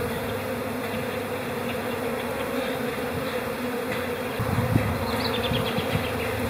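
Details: Honey bees in a calm spring colony during April, a continuous buzzing drone that swells slightly near the end, with a brief low thud partway through.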